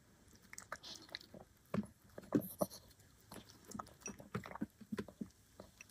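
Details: A black dog eating chicken and vegetables indoors: irregular wet crunches and bites in quick bursts, with chewing clicks scattered through a small quiet room.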